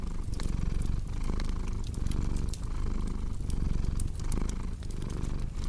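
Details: Soft rumbling purr of a cat, rhythmic swells roughly once per second, accompanied by scattered crackles from a burning fire.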